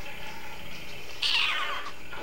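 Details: Skittles, a male pet cat, talks up a storm before getting his snack; one short, bright meow rises and falls in the middle, over a steady indoor hum.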